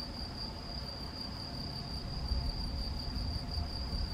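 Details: A male European field cricket (Gryllus campestris), recorded 7 May 2021 at Macieira da Maia, Vila do Conde, Portugal, sings a steady, high chirring trill over low rumbling background noise.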